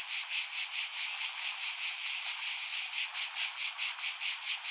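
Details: Cicada calling, a harsh high-pitched buzz pulsing steadily about five times per second, each swell rising and fading in a regular rhythm, with no other sounds.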